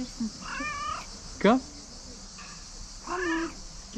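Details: Cat at a tree meowing and trilling, seeming to want to tell something; two drawn-out wavering meows with a short sharp chirp between them, a person speaking Dutch softly nearby.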